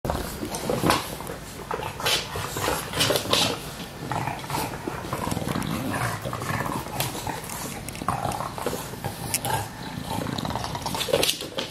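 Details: Two English Bulldogs, each about two years old, recorded 27 April 2017 indoors; continuous rough snuffling and grunting snorts with brief louder bursts throughout, breathy noisy texture, no clear barking.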